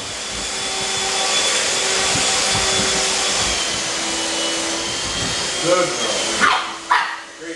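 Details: Pug puppies Otis and Gucci bark indoors while their mother Gracie is vacuumed with a handheld vacuum; a steady vacuum whine and voices fill most of the recording, then after it cuts out two or three sharp barks ring out.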